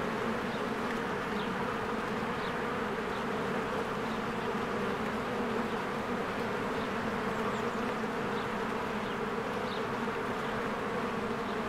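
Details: Busy honeybees swarming at the entrance of their hive among blooming spring flowers: a rich, even buzz of many wings, banded low hum steady for the whole stretch, with scattered faint high bird notes.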